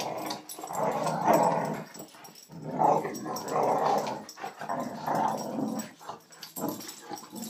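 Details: Female Boxer named Bonita picks on border collie Scrubby during play, asserting dominance. Throaty, rolling growls swell and fade in four or five long surges, with brief pauses between them.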